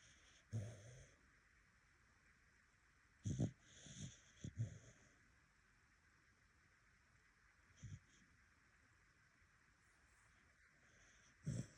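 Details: Dog snoring: low, short snorting breaths come in separate bursts at uneven gaps of one to four seconds, with near silence and a faint steady hiss between them.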